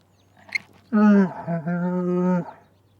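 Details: One sustained camel moan lasting about one and a half seconds, a steady deep harmonic groan that dips briefly partway through, after a faint click and a low background hum.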